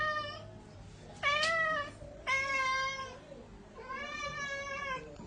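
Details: Domestic cat indoors, meowing while it wants a spider; four drawn-out, harmonic meows, the second one sharp and rising, with a woman talking softly and faint music in the background.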